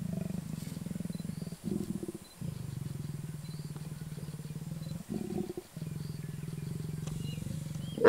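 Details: Leopards in and around Kruger National Park, South Africa, seen on a game drive: a lazy male, reluctant but eventually mating with a female. Low, steady rasping growl, fast and pulsing, broken by short pauses, ending in a sharp louder snarl.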